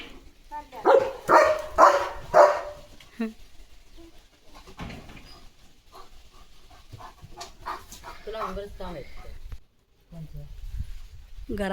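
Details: German Shepherd Leo starts his morning running and barking around the courtyard. A burst of four loud, hoarse barks opens, followed by quieter rustling, faint voices and household sounds.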